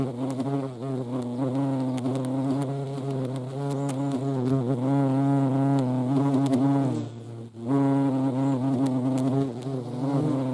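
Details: European hornets (Vespa crabro) at a feeding place: a continuous deep buzzing drone with a wobbling, shifting tone and a brief dip near the end.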